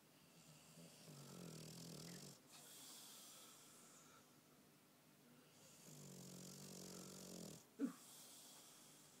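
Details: Sleeping bulldog snoring: two long, rough, rumbling breaths drawn in with low harmonic buzz, each lasting about two seconds and separated by quieter exhalations, ending with a short sharp snort.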